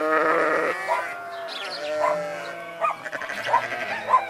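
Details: Sheep and goats heard together: a loud drawn-out nasal bleat opens, followed by softer, shorter bleats from several animals overlapping in the background.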